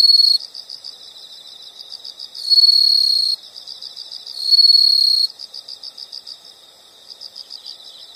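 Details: High insect chirps pulse steadily, interrupted twice by louder sustained trilling bursts lasting under a second each, a quiet natural soundscape with nothing else clear.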